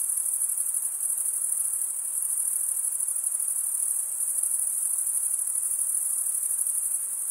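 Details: Crickets stridulating by rubbing one wing's edge across the toothed vein of the other, making a dense, continuous high-pitched trill that holds steady throughout with no other sounds.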